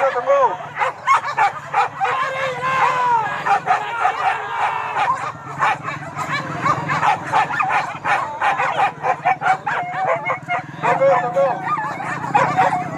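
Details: Dogs hunting wild boar at Kayu Ampek, Tanjung Emas district, Tanah Datar regency: a dense run of rapid, overlapping barks and high yelping cries, many dogs at once, with people's voices mixed in throughout.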